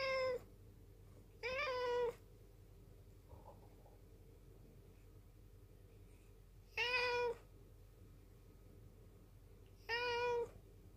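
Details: Low-voiced black rescue cat, rescued in 2013 in a mountain village, staring at its owner and meowing: four short, even meows in two pairs, plus a faint brief sound, with long quiet gaps.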